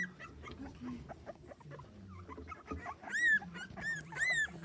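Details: Schapendoes puppies on a Baltic Sea beach. Soft low whines come first, then two high, arched, rising-and-falling whimpers near the end, with faint murmuring in the background.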